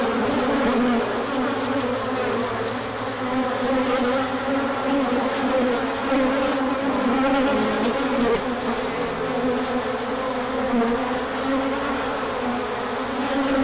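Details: Hive bees in a large orientation flight when the sun came out after a cold stretch, March 2024, with pollen being brought in. Unbroken humming buzz, many wavering pitches blending into a dense drone.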